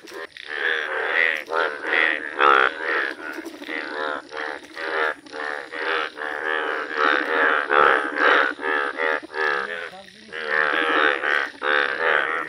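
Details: Indian bullfrog, a rare yellow frog filmed in nature, calling: a dense chorus of nasal, buzzy croaks repeated rapidly, about two per second, overlapping into a near-continuous pulsing din with brief gaps.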